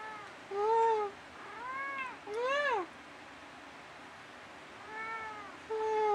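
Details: Dusty, a pet cat, indoors in the middle of the night, trading meows back and forth with his owner: about five arched, harmonic-rich meows, some drawn out and level, others rising then falling, separated by short quiet gaps.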